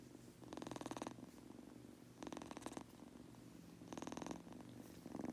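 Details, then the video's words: Goku, a Munchkin kitten falling asleep, purrs steadily while three rasping snore-like breaths come roughly every one and a half to two seconds over the low rumble. "Adorable Munchkin Kitten- Goku Purring/Farting/Snoring while falling asleep!"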